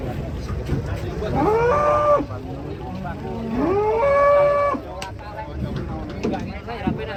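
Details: Big cute cow stepping down from a swaying truck gives two long, clear moos, each rising sharply then held flat for about a second, separated by a brief pause, over low voices and a faint engine hum.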